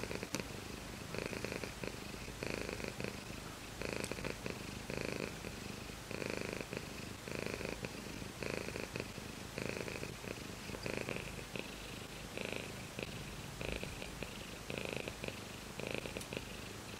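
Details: Long, continuous purring from a domestic cat, with a low rumble pulsing in breath-paced phases throughout and occasional faint clicks, recorded close up.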